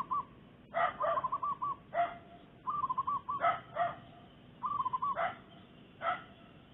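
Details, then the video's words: A mother dog with a litter barks in the Makassar Industrial Area. Short strident barks alternate with rapid purring zebra dove trills, so dog and dove calls interleave closely. "Anjing Menggonggong"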